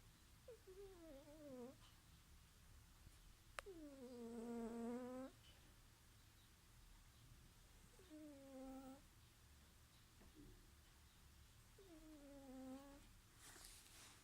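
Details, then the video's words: Domestic cat snoring in its sleep indoors, giving squeaky, whistling tonal notes that slide downward, each about a second long, spaced several seconds apart, over a quiet low hum. "Snoring cat I my kitty snores I funny cat snoring"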